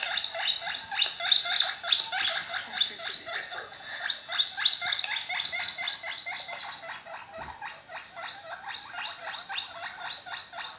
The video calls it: My Guinea pig makes some noises!